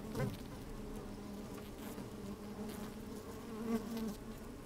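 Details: Honey bees working inside an opened hive on a fine, sunny day, recorded with a microphone slid down into the hive. A steady low droning hum with a second fainter band above, brief louder buzzes near the start and toward the end.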